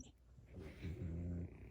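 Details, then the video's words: Mungchi, a French Bulldog tickled while sleeping, gives a short low grumbling groan under a second long, rising slightly in strength, indoors with faint rustle. "자고있는강아지 간지럽히깈ㅋㅋ"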